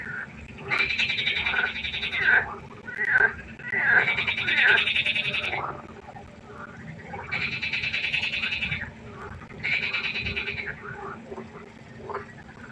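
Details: Frogs by a pond after dark: a close caller repeats harsh, pulsed rattling trills of one to two seconds, with shorter croaks from other frogs filling the gaps between bursts.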